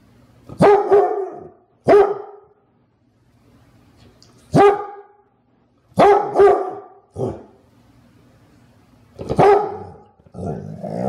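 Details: Jewel, a Clumber Spaniel, lets out loud, rough barks, some doubled, irregularly spaced one to three seconds apart, with a quieter grumbling bark closing the sequence over faint background hum.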